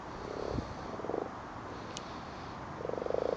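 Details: Common frogs spawning at night in a torch-lit garden pond: soft, low, purring croaks in short pulsed bursts, three bursts heard, the last longer and louder.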